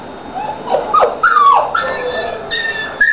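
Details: Labradog puppy, a Labrador and sheepdog mix from a litter at home, whining and crying in thin high wavering whimpers, rising then falling, ending in a long drawn-out whine.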